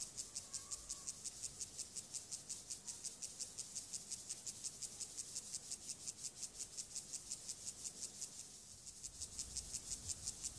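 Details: Gomphocerus sibiricus grasshopper stridulating during sexual behaviour: a steady train of dry, hissing rasps, about three per second and highly regular, continuing for over ten seconds with a faint low rumble beneath.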